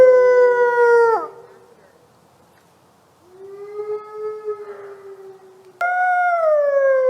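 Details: Wolf. Several sustained wolf howls are heard: smooth, rich tones holding a level pitch before sliding downward as each ends. A quieter howl sits between two louder ones, with a brief hush after the first.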